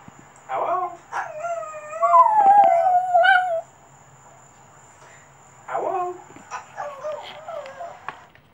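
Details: Cavalier Spaniel and Papillon mix attempting its first howl: a short yelp, then a sustained wavering howl of about two seconds, silence, and a cluster of whiny yips.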